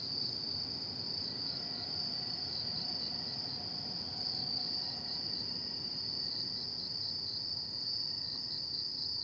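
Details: Autumn insects at night keep up a continuous high, ringing trill that pulses softly and evenly, while faint lower tones come and go in the first half.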